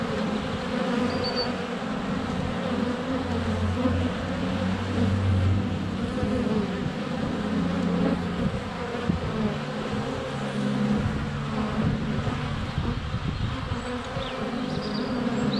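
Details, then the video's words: Close-up at a hive entrance in February, a GoPro Hero 7 Black surrounded by flying honey bees. A dense, wavering low buzz rises and falls as bees pass near the camera, with faint high chirps, possibly birdsong, in the background. "4K Honey Bees - ambient video and audio"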